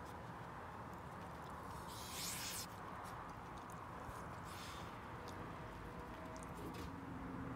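Raccoons let out brief, airy hisses, a sharp burst early on and a softer one a few seconds later. The hissing warns people to keep their distance, heard against a constant low murmur.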